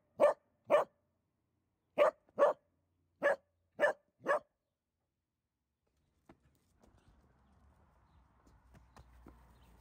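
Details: A dachshund puppy gives sharp, mid-pitched barks in quick pairs, then falls quiet, and the owner then says "Stop. No."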